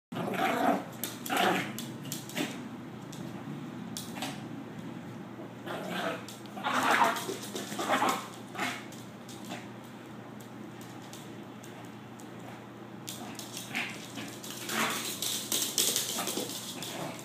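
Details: Cody, a pet toy poodle, playing with a toy monkey indoors; irregular short, noisy bursts and scuffling huffs, strongest around seven to eight seconds and again after thirteen seconds, with a person speaking softly.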